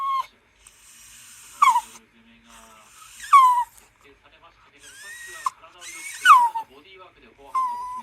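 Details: Anxious Toy Poodle indoors 'talking' to its owner, worried that the father is coming home late: four or five clear whining calls that rise then fall, each about half a second, spaced irregularly between quiet gaps, with faint household noise.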